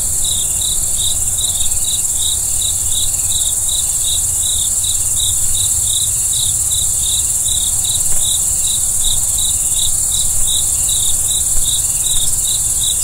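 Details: Crickets at night: rapid short high chirps repeated about three times a second over a steady shrill high-pitched drone, with a faint low rumble beneath.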